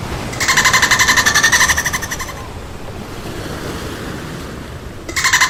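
A dolphin lets out a rapid string of bright, nasal pulses for about two seconds, then a short burst starts again near the end. Steady wave noise fills the background.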